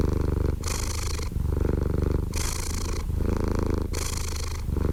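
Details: Close, deep purring from a cat: a continuous low vibrating rumble. Airy hissing surges mark each breath about every one and a half seconds, and the even cycle carries on without pause.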